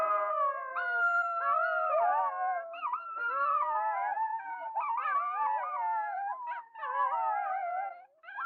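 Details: Wolves howling together in a chorus: several long, tonal voices overlap, each sliding and wavering up and down in pitch, with some rising glides and brief breaks. The voices weave continuously for the whole stretch, with no other sounds.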